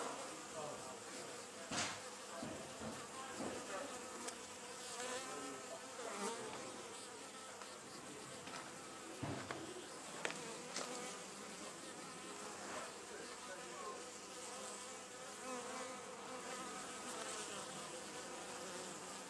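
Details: A colony of wild Western honey bees (Apis mellifera) nesting in an old storage box at the Anson Engine Museum fills the air with a dense, steady buzzing hum of many overlapping wingbeats.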